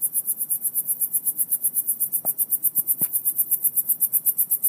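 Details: Crickets chirping outdoors, a high, shrill pulsed trill repeated about five to six times per second in a steady rhythm, with a couple of brief low muffled thumps in the background from an unidentified source heard at the same spot for two weeks.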